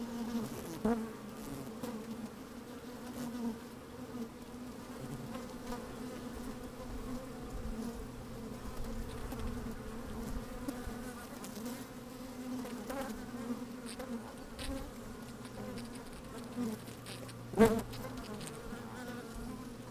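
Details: Continuous layered droning of honey bees at work in an open hive, recorded by a microphone lowered into the colony on a sunny day, with a short sharp knock near the end.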